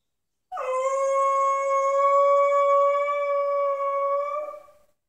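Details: A 10-month-old pit bull puppy, unhappy and wanting to be heard, gives one long steady howl lasting about four seconds, a sustained tone with rich even harmonics that holds level and fades out at the end, in a quiet indoor room.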